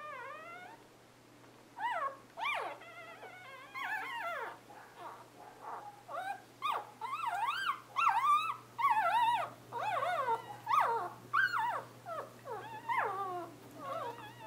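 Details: Litter of newborn Scottish Terrier puppies born 11/11/2010 crying almost nonstop: wavering, sliding squeals and whines that swoop up and down, about one per second, several voices overlapping into a busy chorus, low hum beneath.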